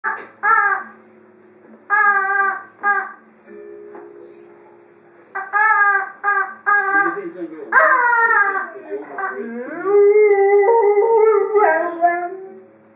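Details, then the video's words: Freja, a female Dobermann, vocalizes while playing with her toy: a string of short, harmonic, whining howls in bursts, ending in a longer wavering, falling moan, with thin high squeaks overhead. "my dobermann Freja playing with her toy and making funny noises"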